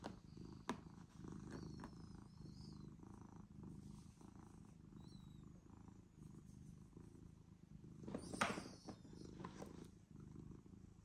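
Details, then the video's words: Cat purring after approaching a person indoors: an even low vibrating purr throughout, broken by a sharp rustling burst near the end. "Funny Purring Cat Came to Me"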